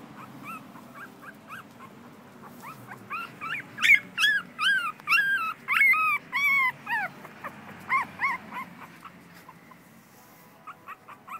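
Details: Whimpering American Schnauzer: thin, tonal, rising-and-falling whines repeated rapidly, building to a loud run of long arched cries in the middle before tapering to soft, short whimpers, over a quiet low hum.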